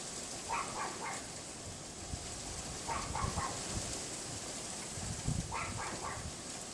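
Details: Neighbour's Pomeranian yapping unseen behind a wooden privacy fence on a windy afternoon, 6 February 2015 around 3:18 PM, heard from a bedroom window; short sharp yaps in quick bursts of two or three, fairly distant, over steady wind roar.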